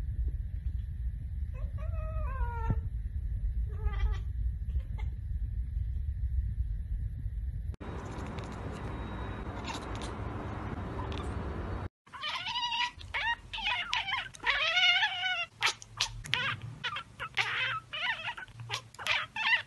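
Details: Domestic cat chattering, a sound made on spotting a bird or insect it cannot reach; short stacked, clicking chirps in quick bursts, then a stretch of broadband noise, then busier chattering chirps after an abrupt cut.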